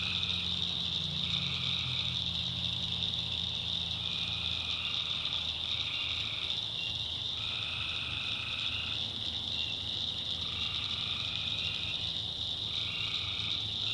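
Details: Night chorus of tree frogs in a swampy North Carolina backwoods: constant shrill high trilling, with overlapping callers in bursts lasting one to two seconds, plus a faint low rumble and insect buzz.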